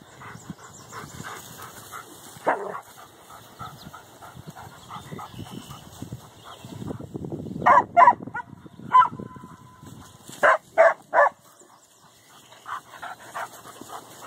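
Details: Dogs at Canisolida, seeing cows on the other side of their fence during a morning walk, bark in excited bursts: scattered yips, then loud clustered barks, three in quick succession followed by another rapid trio, with softer yaps trailing off.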